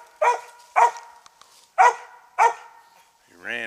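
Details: On a squirrel hunt in South Carolina, a roughly three-year-old Treeing Mountain View Cur called Max Pine Knot barks four times in quick, harsh, evenly loud bursts, then a man's voice starts speaking.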